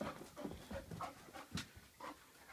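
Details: A female Vizsla waiting to be walked pants in quick, breathy bursts about twice a second, with faint whiny notes mixed in.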